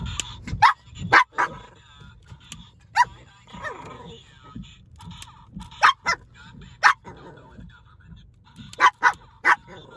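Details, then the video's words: Small pet dogs, a Shih Tzu and a Yorkie, barking at a talking Donald Trump pen toy: sharp, high barks in quick pairs and clusters every second or two, with the toy's voice and murmurs between. "My Dogs Hate The Donald Trump Talking Pen From 7Eleven"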